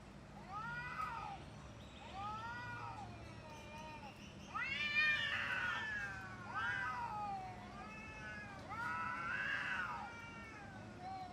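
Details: Cat fight with a string of arched, wavering yowls and caterwauls about one every second, some overlapping with raspy, noisy edges as the growling howls grow louder midway, over a low steady hum.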